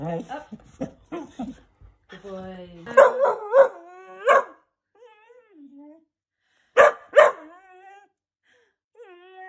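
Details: Dachshund; bark; barking on command during training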